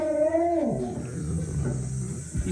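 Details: A Great Dane, reacting to dogs barking on TV, gives a short, drawn-out tonal howl that slides downward and fades.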